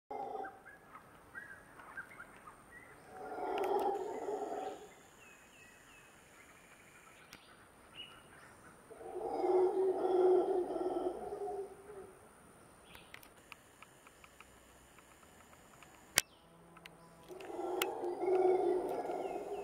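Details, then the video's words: Howler monkeys howling above a seasonal stream in jungle on the way to Montezuma, Costa Rica: three deep, roaring bursts of about two seconds each, separated by quieter stretches with faint bird chirps and insect tones. "Howler Monkey howls"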